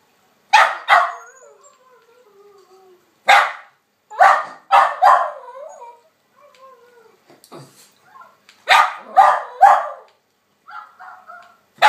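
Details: A female West Highland White Terrier named Snowy barks at a recording of herself: sharp barks in pairs and short bursts, roughly eight separate groups, with soft whining tones trailing between them and a brief clatter midway.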